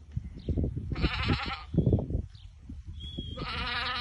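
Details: Awarid goats, white, a group of ten with their buck, pregnant does in Al-Summan; two strong quavering bleats, a short one then a longer one, against low thumping and rustling background noise.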